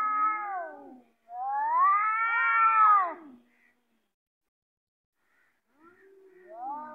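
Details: Domestic cats squaring up to fight: two long, wavering, harmonic yowls that rise and fall, the second louder and about two seconds long, then silence before another drawn-out moan begins.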